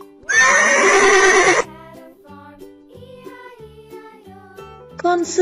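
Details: Horse. A horse neighs once, a loud, harsh whinny that shakes and trembles for just over a second. Soft children's tune music then plays, and a voice briefly speaks at the end.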